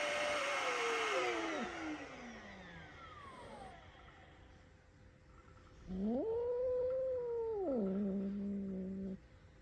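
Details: A rescued pet cat, frightened by the sound of a vacuum cleaner, gives an alarm cry. It starts with a drawn-out falling wail, goes quiet, then makes a long, loud, wavering yowl with strong harmonics that ends abruptly.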